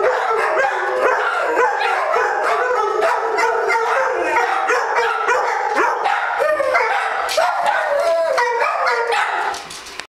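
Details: Group of dogs in a joint howling chorus, long quavering tones rising and falling across many voices at once, punctuated by frequent barks, steady and loud throughout until an abrupt stop near the end.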